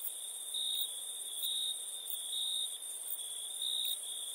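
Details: Night-time crickets in a continuous shrill trill, pulsing louder about once a second, with a thin, very high hiss running steadily above it.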